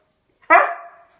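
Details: An obedient but vocal pet male husky protests after his owners come back. He gives a single sharp bark-yelp that tails off into a short, fading whine, with quiet room sound before and after.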